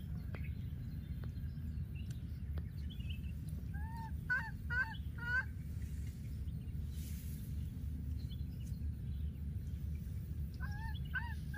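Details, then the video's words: Wild baby monkey that has lost its playmate, calling repeatedly: short arched whimpering notes in two bursts, a run of four near the middle and three more at the end, over a steady low rumble of background noise. "baby monkey l.o.s.t his playmate and keeps calling"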